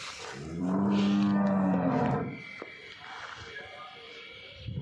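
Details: A Nili-Ravi buffalo for sale in Punjab, Pakistan, utters one steady, low, rich moo lasting about one and a half seconds, then softer background noise from the surroundings.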